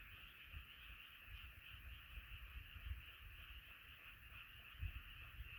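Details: Nighttime frog chorus, a constant high trilling mass of many voices, partly covered by low rumbling noise that swells and dips, with thumping bursts near the end.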